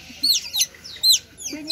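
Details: Hungry otters at Lembang Park and Zoo calling noisily: high, sharp descending squeaks in quick bursts, with people talking nearby.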